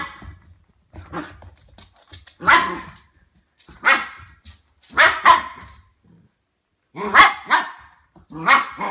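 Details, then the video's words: Ten-week-old Goldendoodle puppy Harvey barking while warming up to a new plastic ball, swiping and preying at it: six short, harsh barks at irregular intervals, some doubled, in a small indoor room with faint background noise. "How Harvey the Goldendoodle reacts to new toys"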